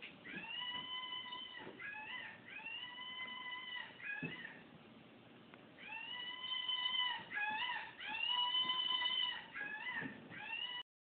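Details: A Basenji playing with a stuffed toy gives its typical yodelling sounds: sustained, musical tones lasting about a second that waver, break between pitches and bend at the end, while a person briefly urges it on.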